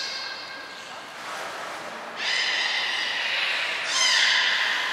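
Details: Belugas at Port of Nagoya Public Aquarium, Hodoi, Taanya and Mirai, moved between pools and trained on 23 February 2021; a soft, blurred tone gives way to two louder, bright harmonic calls arriving in steps.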